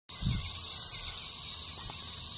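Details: Swarming cicadas in western Kentucky near Lake Barkley: a dense, steady high-pitched hiss of many insects droning together without a break, with a brief low thump near the start.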